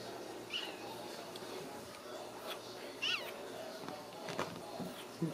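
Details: Ragdoll kittens raised in a home cattery in central Kansas, uncaged; thin high meows around two and three seconds apart, each with a quick rising-falling bend, over steady room noise with faint rustling and soft clicks.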